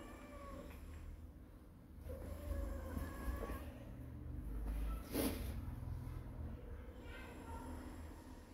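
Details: Kitten giving several short, soft meows spread through the recording, partly buried under a constant low rumble, with a brief sharp knock midway.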